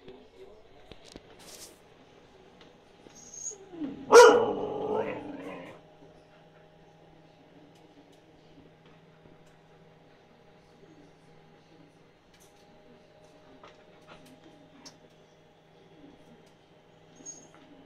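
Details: Husky Yula asking for food as her meal cools, indoors; a single rich, wavering howl-like vocalization lasting about two seconds, then quiet room noise.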